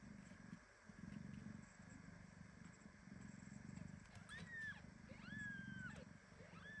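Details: A mother cat hugs a premature kitten tightly at home, where several young kittens share two mothers. A steady low rhythmic purr fills the first four seconds, then three clear, high, falling kitten mews follow.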